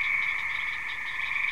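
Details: A loud frog chorus by a house; a dense, unbroken high trilling and buzzing wall of many calling frogs, steady throughout with a slight pulsing.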